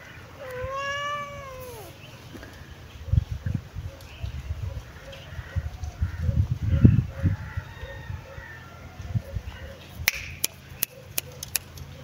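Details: Kitten sunbathing in its favourite place gives one clear meow near the start, a drawn-out harmonic cry arching up then falling; afterward soft rustling and low thumps, a faint chirping pulse in the background, and sharp clicks near the end.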